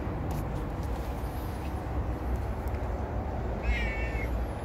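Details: Affectionate domestic cat inviting a belly scratch. A single short meow late in the recording, preceded by a steady low rumbling background.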